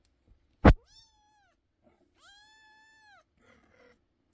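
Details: Young kittens meowing loudly indoors. A sharp click comes first, then two clear, high, tonal meows, each rising and then flattening. The second is longer, close to a second, and is followed by faint rustling.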